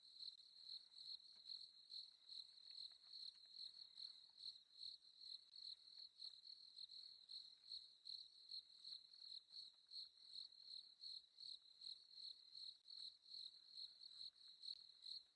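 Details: Crickets chirping after dark on a safari drive, an unbroken shrill trill of fast regular pulses at one high pitch, steady for the whole stretch with only a quiet hiss behind it.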